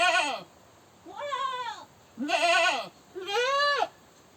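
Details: Goat screaming: four strident bleats in quick succession, each quavering and arching in pitch, alternating loud and slightly softer calls over about four seconds.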